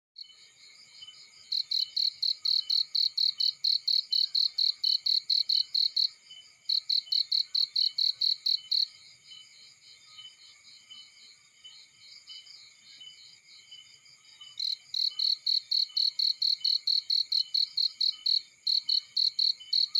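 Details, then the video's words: Crickets calling in a field near a burning fire: fast, sharp pulsed chirps at about four per second, sung in runs of several seconds separated by short pauses, with a steady high insect buzz and faint crackling underneath. "Burning with Cricket Sounds"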